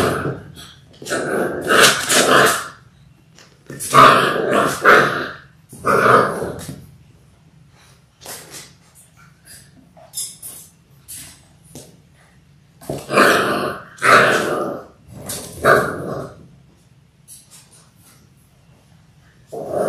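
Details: Six-week-old Labrador Retriever puppies from a litter of six born January 18, 2022, filmed indoors on a live puppy cam: loud rough growls and harsh bark-like bursts come in clusters of two or three, separated by quiet pauses with faint clicks.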